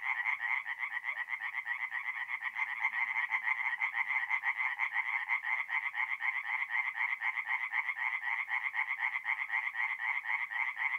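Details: Forest pond at night in mid-April, north-east Italy, with tree frogs singing: quick, regular rasping pulses run together into a continuous chorus, the beat clearly audible throughout.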